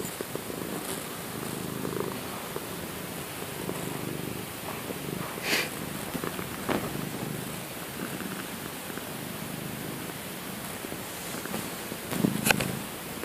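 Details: Purring of a female Domestic Shorthair adoption cat that rarely meows and purrs loudly when content; even low rumble throughout with faint handling rustles and occasional brief clicks.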